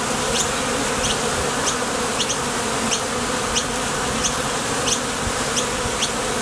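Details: A dense, constant hive-entrance hum from honey bees leaving for and returning from nectar foraging at a Top Bar Hive, with a faint high chirp repeating roughly every two-thirds of a second behind the drone.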